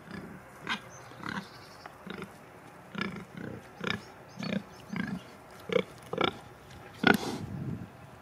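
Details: Farmyard pigs of the Sattelschwein or Bentheimer Landschwein breeds keep up a busy run of soft, low grunts nearly every half second, with a few louder, harsher ones toward the end.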